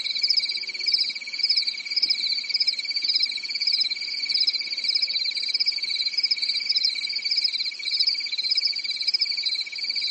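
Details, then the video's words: Crickets chirping through a calm summer night in a European forest: a dense, continuous high trilling with a steady lower band and a pulsing upper band that swells and fades roughly twice per second. No other sounds. "Grillen zirpen in der Nacht"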